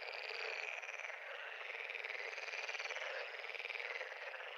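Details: Massed pond frogs croak in rapid, pulsing rattles, the chorus throbbing quickly and evenly throughout, with a steady hiss of overlapping voices underneath.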